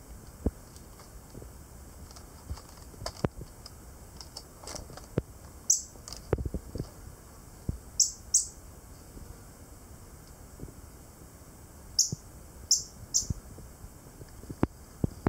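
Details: Jentink's squirrel giving a breeding or territorial display: short, very high, sharp chirps in quick pairs and triplets near six, eight and twelve to thirteen seconds, over scattered dry clicks and taps and a faint steady background hiss.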